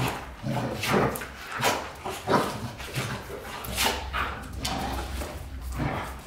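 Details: Golden Retriever pair James Bond and Luna, white-coated, giving sharp broadband barks and yips in irregular bursts about every second, mixed with softer whining sounds and some background rustle.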